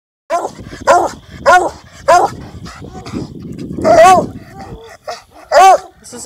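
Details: Ebony, a purebred registered female Bluetick Coonhound at River Styx farm, a hunting-hound kennel, gives loud, ringing barks in a series of about six, spaced roughly half a second to a second apart, with some background murmur.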